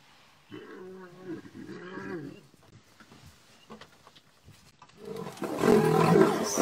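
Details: Lion in a setting of male lions pushing their two-year-old sons away: two deep, harmonic roaring moans of about a second each, followed by loud rumbling noise and rustling.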